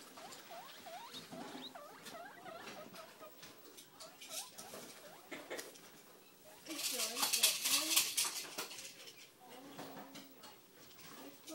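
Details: Six-week-old pet guinea pig Evie popcorning over a new litterbox inside her cage: repeated brief upward squeaks mixed with loud rustling and scratching of litter and bedding.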